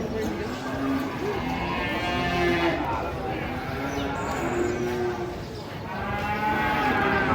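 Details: Cattle being unloaded from a truck, lowing amid a noisy crowd: several overlapping, drawn-out moos with stacked harmonics, over continuous chatter and shouting from people nearby.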